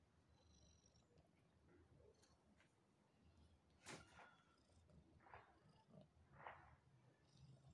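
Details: Pantera and Naya, two pet cats, performing before eating: a soft, low rumbling purr runs steadily through the recording, with a few brief higher clicks and rustles over it.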